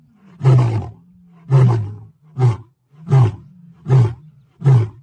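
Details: Roaring lion giving a rapid run of six short, deep, coughing grunts, one almost every second, with a low steady hum between the grunts.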